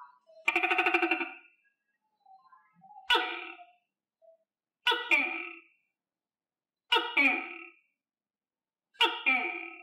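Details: Captive tokay gecko, a pet fed on crickets, calling five times in about ten seconds. Each loud, harmonic, croaking call opens with a sharp click-like attack and breaks into two parts, with silence between calls.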